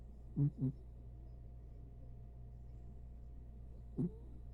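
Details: Corgi named Diego asleep on a lap, snoring: two quick low snorts close together near the start, then a quiet pause and one more snort about three seconds later, over a steady low hum.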